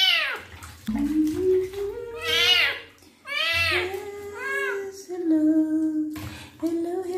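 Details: Male kitten meowing during his first bath while his wounds are cleaned: three loud, arching, high-pitched meows, each rising then falling, separated by short pauses, with a person's low voice underneath.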